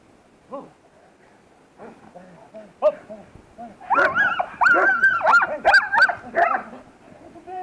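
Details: Protection-trained female German Shepherd: soft talk and scattered noises give way to a loud run of rapid sharp barks mixed with high, quavering whines, then it fades to murmuring voices.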